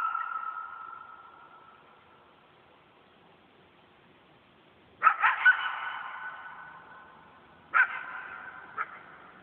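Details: Coyote howling at night in a yard: a single long, steady howl slowly fading away, then after a pause sharp bursts of yips and barks, with two brief later outbursts.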